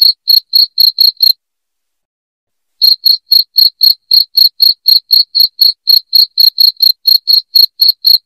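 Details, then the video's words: Piercing cricket song used as a rat repellent indoors: rapid high chirps about four per second, a short burst, then silence for around one and a half seconds, then a long regular run of chirps. "SUARA JANGKRIK NYARING PENGUSIR TIKUS"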